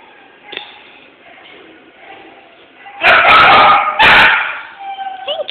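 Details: Male Jack Russell Terrier, recorded on a phone, letting out two loud, rough barks about a second apart after a quiet stretch with faint voices in the background.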